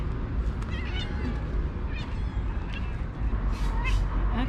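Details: A female calico cat living in a park, where she and another cat are fed, gives quick, broken meows in rapid bursts like a high-speed stutter, with low background rumble.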